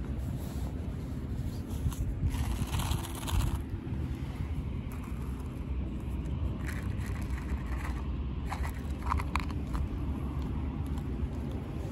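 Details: Steady low engine rumble outdoors, with scraping and crackling noises and faint distant voices, but no animal call.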